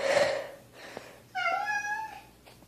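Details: Kitten meowing: a breathy rustle opens, then a single clear, tonal meow that rises slightly and holds for about half a second before fading, with a faint low hum underneath.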